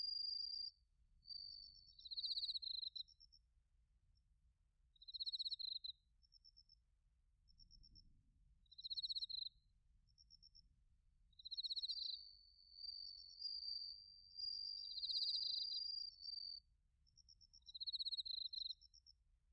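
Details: Autumn chorus of bell crickets and other crickets recorded in Narita, Chiba, Japan, on a TASCAM Portacapture X8: bursts of rapid pulsed trilling about a second long, repeating every one to two seconds, overlapping a sustained ringing tone, over faint low background rumble.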